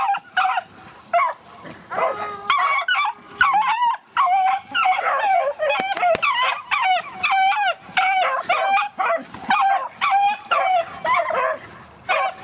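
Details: Beagle giving chase to a Great Dane, one of two beagles in the household: a nearly continuous run of sharp, yelping barks and bays, repeated about every half second over several seconds.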